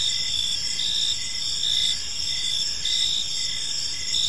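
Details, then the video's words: Crickets chirping on an evening in a park: a steady, high shimmering trill with bright pulsed notes that swell in short bursts roughly every second, over faint background hiss. "Cricket Sounds in a Peaceful Park"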